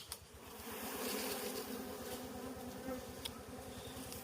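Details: Wild bees droning steadily while six combs of wild honey are harvested, a dense, throbbing hum with a fast pulsing rhythm throughout and faint rustling.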